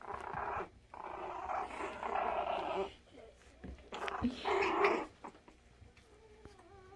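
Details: Havanese puppies playing indoors, giving rough, buzzy growls in two long bursts of about three seconds and one second, with quieter scuffling and a person talking in the background.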